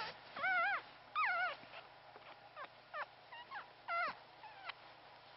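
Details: Newborn Pomeranian puppy, only one of three born alive to a part-Pomeranian mother, giving quavering, wavering whimpers interspersed with fainter squeaks and soft snuffling sounds.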